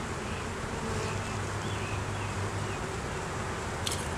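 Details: Honey bees at an opened hive during a beekeeper's inspection, colony with capped brood, larvae and honey, recorded with a DSLR camera; a low buzzing drone swells through the middle as a bee hovers close, with a sharp click near the end.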